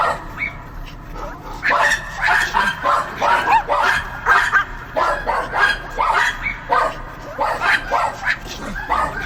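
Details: Multiple dogs barking, fast irregular volleys of sharp barks and yips, about one or two a second, stacked on each other with a short softer start.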